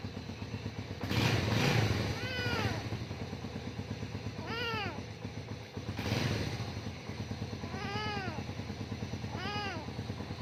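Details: A young cat scared by a motorbike's noise meows four times, each call a clear arching whine, while the bike's engine idles with a steady rapid throb and revs up twice.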